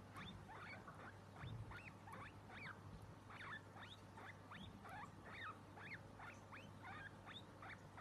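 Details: Baby guinea pigs in a compilation of their popcorning: a rapid run of short, high squeaks about every half second for eight seconds over a steady low hum.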